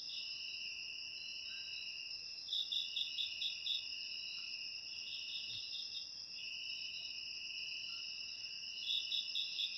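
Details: Crickets, recorded as ASMR meant to chase rats from homes, keep up a constant high, ringing drone of overlapping trills. Brief louder bursts of rapid pulsed chirps break through near the third, fifth and ninth seconds.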